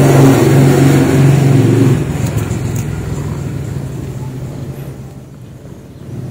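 A domestic cat purrs in a deep, steady, engine-like rumble, loudest at first and then softening.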